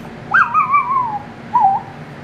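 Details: Pet chihuahua-dachshund 'talking' over the phone to her owner as she waits by the door for him to return: a long, wavering, descending whistle-like whine, then a shorter warbled one, amid quiet indoor hum and a woman's voice.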